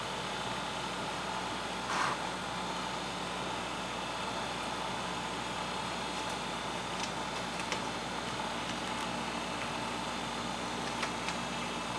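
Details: Constant indoor hum and broadband hiss with a few faint clicks and taps; no animal voice is heard.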